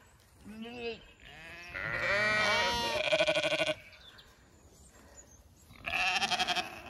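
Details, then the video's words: Zwartbles ewes in County Kilkenny, Ireland, calling at evening feed time; short bleats, then a loud tremulous bleat with rapid pulsing, a quiet gap, and another fluttering bleat near the end. "A few ewes call out so others can hear I’m there to open the gate"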